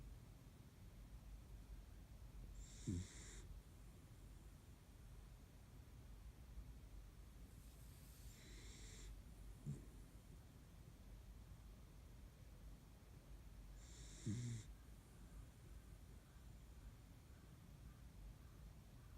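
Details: Kaninchen dachshund napping soundly by a window during the day, giving soft snores roughly every six seconds: a faint low rumble paired with a brief breathy hiss on each breath, over a steady quiet room hum.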